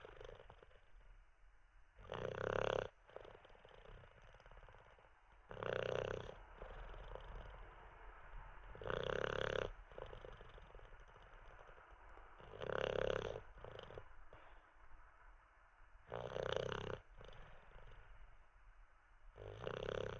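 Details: Teddy, a sleeping Olde English Bulldogge resting after treats and a wee, keeps up a steady run of six coarse, rumbling snores, one about every three and a half seconds, with soft breathing in between.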